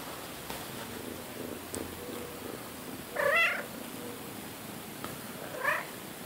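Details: Domestic cat indoors, one of two sister cats, one friendly and one shy, that spent a week shut in a front bedroom, gives two short rising-then-falling meows about two seconds apart over faint room hiss.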